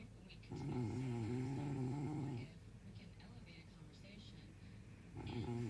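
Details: Sleeping dog snoring indoors: a long, droning, voiced snore with a slightly wavering low pitch lasts about two seconds, followed by quiet breathing before the next snore begins near the end.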